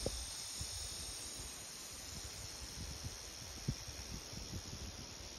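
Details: Cicadas in the trees of Indian Cave park forest fill a July summer air with a steady, hissing drone that holds without pause.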